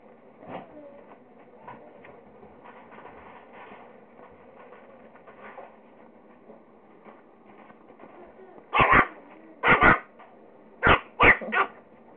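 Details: Four Pekingese-Chihuahua mix puppies chasing each other and playing; quiet rustling and soft whimpers for eight seconds, then five sharp high yapping barks in pairs near the end.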